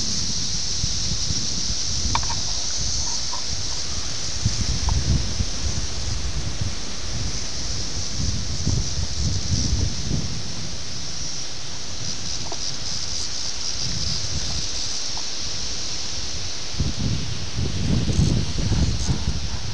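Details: Seventeen-year periodical cicadas of Brood X at Ayersville, Ohio, June 18, 1987, filmed on VHS; a high steady droning chorus runs throughout above heavy low rumbling and rustling from wind and camera handling.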